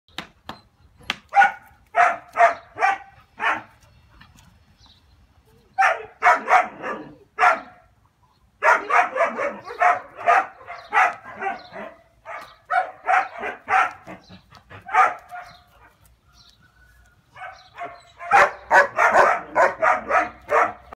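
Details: A six-month-old German Shepherd Dog puppy barks in loud bursts of three to eight sharp barks, with short quiet pauses between the bursts, the barking continuing throughout.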